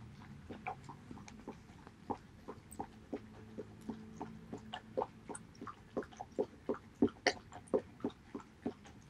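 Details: Haedeun, a male Border Collie, eats pollack soup, recorded 19 August 2018: soft wet lapping and slurping clicks, sparse at first and then quickening into a steady run, over a faint indoor hum.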